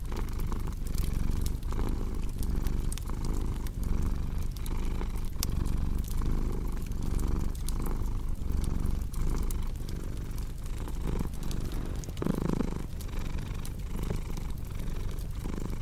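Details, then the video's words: Domestic cat purring in a relaxation mix: a continuous low rumble, breath-cycle pulses under frequent sharp pops and snaps of a crackling fireplace. "Purring Cat with Cozy Crackling Fireplace Sound"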